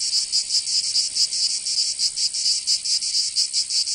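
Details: Summer cicada song from Provence in the south of France, a loud shrill buzz broken into uneven throbbing pulses, roughly one or two swells per second, with nothing else audible.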